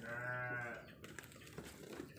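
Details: Sheep in a pen, one drawn-out low bleat with rich harmonics lasting under a second, followed by quieter clatter and rustling in the pen.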